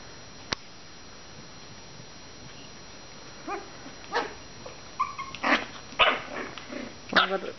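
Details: Five-week-old Maltese puppies play on April 16. After a quiet stretch with scattered clicks, several short, high yips and whines come in a cluster. A faint steady hum runs underneath.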